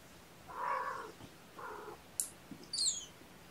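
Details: Sleepy kittens waking gently from a nap, snuggled up indoors on weigh-in night: two soft, drawn-out mews about a second apart, followed by a sharp click and thin, high-pitched squeaky cries near the end.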